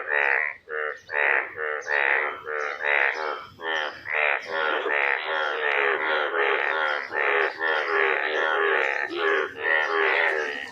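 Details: Frogs in a village during the rainy season, emerged from the ground after rain, calling loudly in a dense chorus of harsh, croaking bursts that overlap and repeat without pause; finding: frog.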